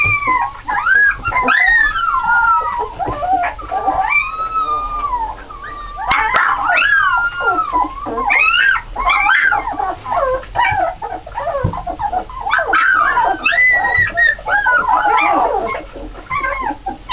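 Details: A litter of nine red Alaskan Malamute puppies (7 females, 2 males, born 1 November 2010) whine and yelp in high, wavering, overlapping cries with short howling rises and brief pauses between bursts.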